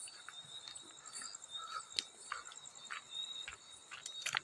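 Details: High, steady ringing trill of field crickets running through the whole stretch, broken by bright water splashes and droplet clinks every half second or so.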